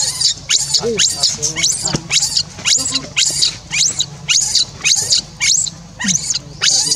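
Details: Monkey crying after being left alone, calling its companion to return: fast, rasping, high-pitched shrieks repeating almost twice per second, sometimes with a brief lower yelp. Constant faint hum behind.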